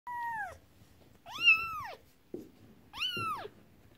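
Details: Domestic cat indoors, where a mother cat is upset while her kittens play with a toy horse-drawn carriage. Three loud meows about half a second each: the first slides downward, the next two arch up and fall, with faint rustling between.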